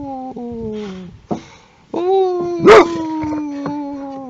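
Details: Boxer guarding a car, used as a car alarm, producing sustained nasal whining tones that slide gently downward, with one sharp bark cutting through midway.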